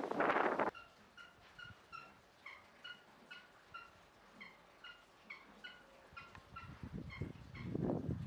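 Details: Baby meerkat at Kiryugaoka Zoo in Japan: short, thin chirping squeaks repeat steadily about three to four times a second. Loud rustling bursts open and close the passage.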